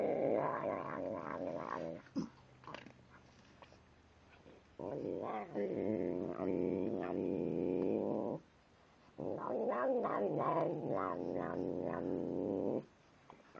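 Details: Tim, a pet cat, growls while eating: three long, steady, low buzzing growls of about two to four seconds each, separated by short quiet gaps with faint clicks and chewing noises.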